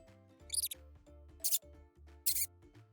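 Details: Mouse squeaking: three short, very high-pitched bursts of squeaks, spaced under a second apart, over soft background music with steady low tones.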